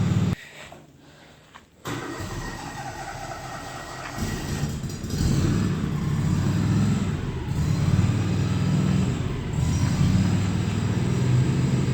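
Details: No animal sound: a steady low engine rumble from a moving vehicle, with a brief quiet gap near the start.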